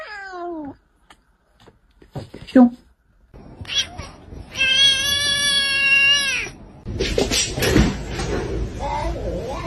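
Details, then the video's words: Pet cat making short chirps and a sustained, wavering meow in a small room, with human talking and household noise around it. "These Cats Speak English Better Than Hooman!"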